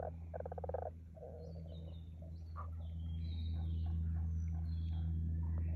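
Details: Frog calling at Aoba no Mori green space on 5 April 2024: a short, rapidly pulsed rattling croak in the first second, then softer scattered croaks, with thin high bird whistles and a steady low hum throughout.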